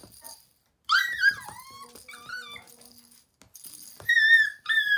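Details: Roi, a playful male Toy Poodle puppy who loves toys, gives high, harmonic whimpering yips that slide downward in pitch, then after a short pause a steadier, drawn-out high whine near the end.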